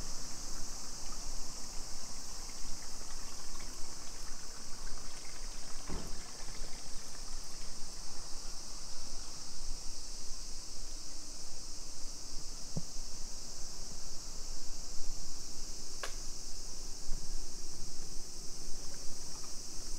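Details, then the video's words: Summer cicadas in a suburban neighbourhood of Nisshin city near Nagoya, Aichi Prefecture, Japan, at 2 PM on 28 July 2021: a steady, high droning band runs unbroken throughout, with a few sharp clicks from street sounds. "Summer Cicadas Sounds"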